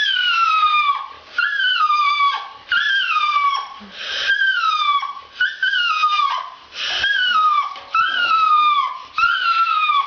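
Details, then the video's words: Female dog howling loudly during a bath, drawn-out wails that slide downward, repeated about every second and a half with short breaths between, sounding like an animal in distress. "A Bad Dog Makes a Terrible Noise While Being Bathed"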